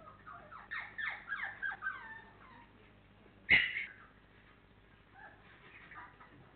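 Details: A litter of 28-day-old FCI Labrador Retriever puppies, four weeks old, from Honey and Hany: a burst of rapid falling whimpers, then a sudden loud yelp, followed by softer scattered whines.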